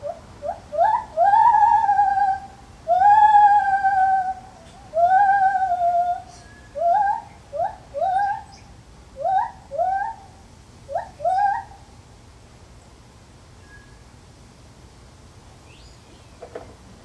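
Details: A White-handed (lar) gibbon in a zoo calls with long, pure, hooting notes that give way to quicker, rising whoops.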